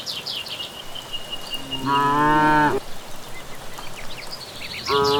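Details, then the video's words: Village cattle returning from grazing at evening give a loud, long harmonic moo, then begin another at the end, while birds sing and chirp around them. "Sapi Pulang Merumput di Sore Hari"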